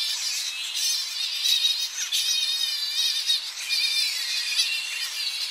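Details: Tonga flying fox colony on the coast in early morning, bats returning to roosting trees, recorded close up: a dense overlapping chorus of shrill, wavering high squeals and chattering calls, continuous with brief louder bursts.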